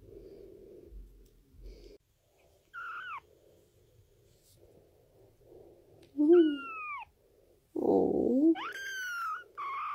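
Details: Kitten meowing in a compilation of cute kittens: high, wavering mews that slide downward, heard at about three, six and eight seconds, the last long and drawn out, with indoor background hum between calls.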